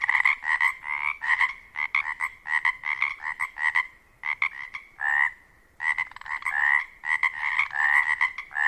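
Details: In spring at dusk in a wetland near a lake on the Olympic Peninsula, Washington, a dense breeding chorus of male Pacific chorus frogs calls to attract mates, with many overlapping two-part ribbits in rapid bursts.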